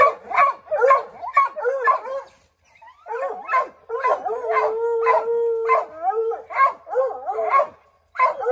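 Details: Several Redbone Coonhounds named Bo, Luke, Lulu, Cooter and Jesse treeing a chipmunk in an oak: rapid chorus of overlapping barks, roughly two per second, with a steady drawn-out howl running beneath the middle stretch.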